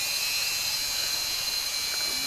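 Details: Cicadas drone steadily in the background with a continuous high shrill buzz and a ringing tone, heard at hot springs near the village of Vieng Thong in northern Laos after the sun comes out.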